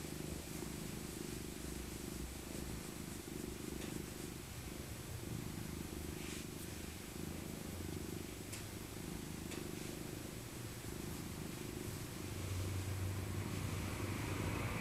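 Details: Cuddled in her soft winter coat, the old tabby Maca purrs in a steady low drone, with gentle breathing rhythm, a deeper rumble emerging near the end, and scattered fabric rustles.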